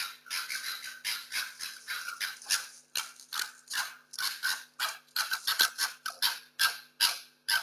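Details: Two foxes, captured on security cameras in the streets during lockdown, fight over food and territory: harsh, rasping screeches and chattering bursts, several each second, rising and breaking off without a steady rhythm.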